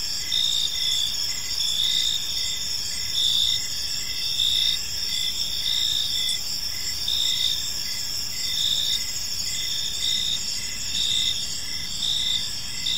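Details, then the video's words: Crickets chirp through an evening in a tranquil park, high steady buzzing trills punctuated by repeated short chirps roughly every second, soft distant rumble beneath. "Cricket Sounds in a Peaceful Park"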